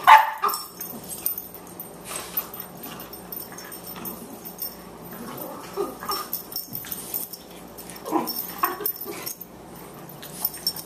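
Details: Elder Boxer Lou and 14-week-old Boxer puppy Margie, weighing 18 pounds, wrestling in play; a sharp yelp opens, followed by scattered low grumbles, brief whines and scuffling thumps throughout.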